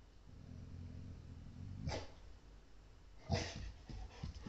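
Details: Dog that has lately taken to barking only in a subdued way on sighting Ezo sika deer; two short, muffled woofs about a second and a half apart, then a few softer huffs, over a steady low rumble.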